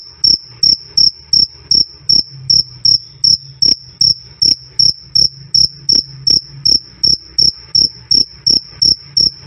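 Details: Loud, clear cricket calling, steady run of sharp high-pitched chirps roughly two and a half per second, evenly spaced, with a faint low hum underneath and nothing else distinct.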